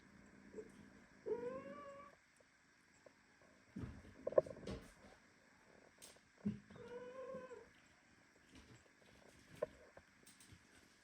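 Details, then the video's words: Premature kitten held in a tight hug by its mother cat, meowing indignantly among other young kittens indoors. Two drawn-out, rising then falling meows about five seconds apart, with rustling and soft thumps between them. "Mother cat hugs premature kitten so tightly that he starts meowing"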